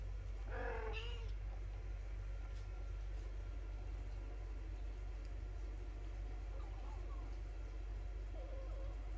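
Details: Mother cat at home meowing in displeasure as her kittens are slowly introduced to the household dog; one short, bright, harmonic meow near the start, then two faint softer meows later, over a steady low rumbling hum.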